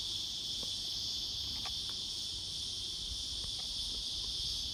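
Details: A black prince cicada (Psaltoda plaga) gives a loud, steady, high-pitched buzzing drone without a break.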